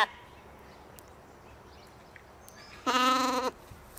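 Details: Katahdin sheep at a Michigan homestead, playing in the evening; one clear harmonic bleat lasting about half a second near the end, otherwise quiet rural background with faint bird chirps.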